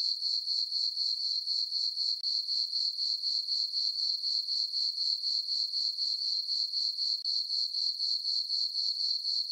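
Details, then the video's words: Crickets chirping in a farm meadow on a summer night under a full moon: a steady high-pitched trill in pulsing bursts, about four per second, very regular, with no other sounds. "Cricket chirping sounds for sleeping"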